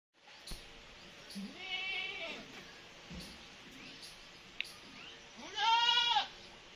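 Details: Kittens meowing while a mother cat nurses two of them. Two harmonic, arching meows: a softer one near two seconds, then a louder, longer one near six seconds. Faint clicks and low background hiss in between.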